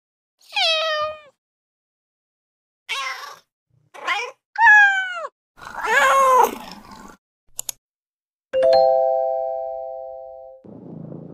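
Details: Cat giving a series of bright meows, some short and some drawn out and wavering, followed by a brief click and a steady doorbell-like electronic tone ringing for about two seconds.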